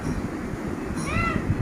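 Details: A single short arching meow near the end from a cat trying to get into a closed room, over a low rumbling background.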